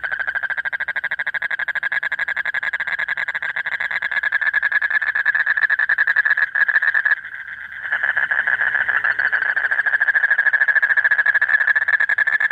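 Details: Late-night breeding-season chorus of a male common toad summoning a female, a long fast buzzing trill of evenly spaced pulses at mid pitch, briefly dipping for about a second before resuming just as strongly.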